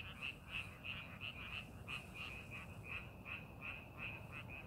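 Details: Frogs croak in a rice paddy being prepared for farming, short sharp bright notes repeated nearly three per second, several callers overlapping, with low steady background noise.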